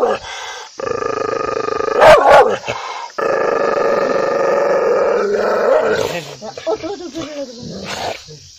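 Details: Angry dog, barking loudly: a brief bark, then a drawn-out rumbling snarl broken by a loud snapping bark in the middle, followed by a series of short, uneven barks near the end.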